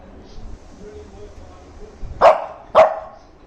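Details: Angry Shih Tzu puppy demanding attention, giving two sharp, mid-pitched barks about half a second apart after a quiet stretch with faint background voices.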